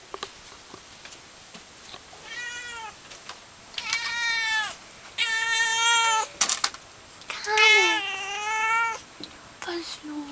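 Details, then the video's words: A female Siamese cat, just woken from sleeping on the heater, gives a series of loud, drawn-out meows, each rich in harmonics and slightly wavering; the owner says she meowed because she was tired. "Scarlett My Cute Siamese Cat Meows :)"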